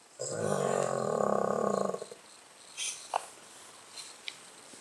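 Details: Charlie, a Blenheim-pattern Cavalier King Charles Spaniel, snoring on 21 November 2016, his daily pastime: one loud, rattling, buzzy snore of nearly two seconds, then near-quiet with a few faint clicks.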